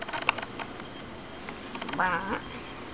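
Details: Breeze, a pet cat, meows in annoyance because no one is paying attention to her, while another cat, Freya, watches a sand boa named Apep; one short wavering meow comes near the end after quiet room noise and a brief human voice.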